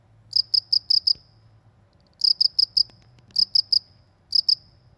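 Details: Rural cricket giving bright high-pitched chirps in clusters of four or five, separated by pauses of about a second, with faint low rumble and a few soft clicks in the background.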